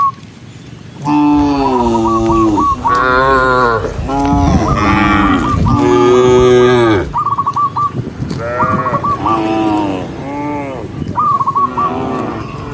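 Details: Tame cows moving together on a forest road in the morning, mooing repeatedly in long, loud, wavering calls, several overlapping, while high chirping notes recur in short runs.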